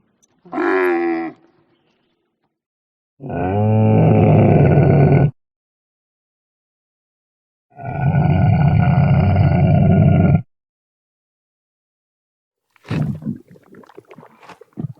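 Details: Camel giving deep, rough grunting roars in three separate bursts, each lasting about one to three seconds with long silences between them, followed by a short, scratchy rustle at the end.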